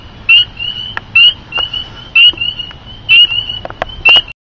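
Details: Spring peepers, small thumb-sized frogs sheltering under a deck, calling at night through dusk-to-dawn choruses; high, sharp rising peeps repeat about once a second, with a constant high whine from other calling frogs and some clicks from handling.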